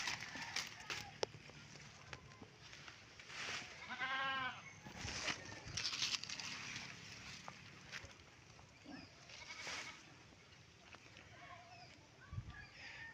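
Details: Goats tethered outdoors, given freshly gathered fodder before being put back in their pen; a quavering, pulsed bleat around four seconds, with scattered rustling, clicks and faint background noise throughout.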